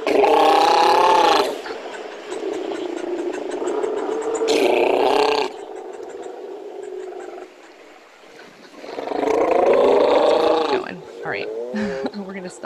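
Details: Northern fur seals, which breed in California, give loud, rich, wavering calls with a hoarse, bleating edge, broken by bursts of background hissing.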